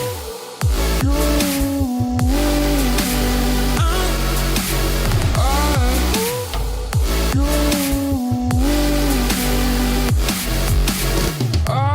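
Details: Loud electronic dubstep music with heavy bass and wobbling synth lines plays throughout.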